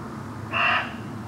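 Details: Single short, hoarse bark of a muntjac in a miscanthus (elephant grass) field by a pylon on the eastern edge of Rudloe, about 7pm, 30 December 2013, rising clearly above a quiet, hissing evening background.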